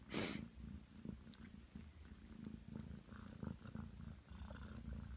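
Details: Aki, a Ragdoll cat aged nine months, kneads on the bed and purrs. A brief rustling burst opens, then a continuous deep rumble follows, rising and falling with each breath.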